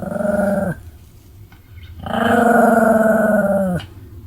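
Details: Pomeranian named Sam-chan snoring somewhat heartily, filmed 31 July 2015: two drawn-out raspy, buzzing snores, a short one then a longer one near two seconds, with a quiet pause between, each dropping in pitch as it fades out.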